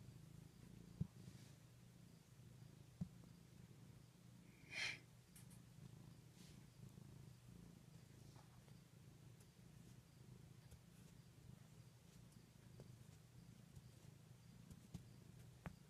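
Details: A cat sleeping against a knee purrs in a steady low rumble throughout, with a brief louder rustle near the middle and a few soft clicks.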